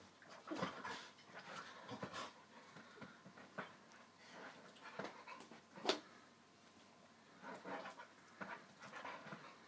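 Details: Yellow Labrador Retriever puppy, 9.5 weeks old, playing indoors with a 3-year-8-month-old chocolate Labrador; soft breathy panting and scuffling bursts, with a sharp snap near the sixth second, quiet throughout.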